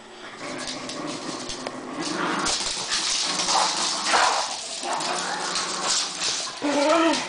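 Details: Pet dogs Lucy, Bingo, Jack and Freaux-Freaux playing tug of war while big dog Katie tries to join in: dense rough scuffling and growly noise throughout, then a short high whining cry near the end, with a person talking to the dogs.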